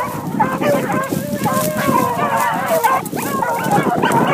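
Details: Young hunting dogs running a cottontail rabbit, giving continuous overlapping baying and yelping calls in a loud, busy outdoor chorus.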